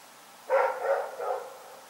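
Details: A dog named Rex at night gives one loud bark trailing into two softer follow-up yaps within a second.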